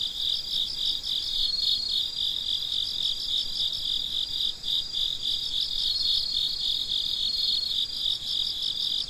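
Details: Night chorus of crickets with high, fast, pulsing chirps layered into one steady shimmer, a quiet hiss underneath and no other animals.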